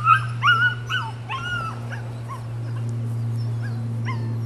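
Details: Nine-week-old female puppy giving several short yips and bending whines in the first two seconds, then fainter whimpers over a loud steady low hum.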